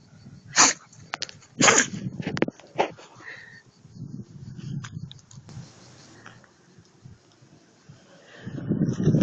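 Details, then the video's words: A Husky sneezes in sharp, explosive bursts, two strong ones close together, then smaller snorting puffs and breathy sounds, ending in a low rumbling noise. "Хаски чихает"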